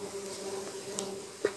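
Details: Kept stingless bees, Trigona laeviceps and a Biroi x Laeviceps hybrid, in hive boxes during a honey harvest: a steady low hum holds one even pitch with a fainter lower tone beneath, broken by a couple of soft clicks.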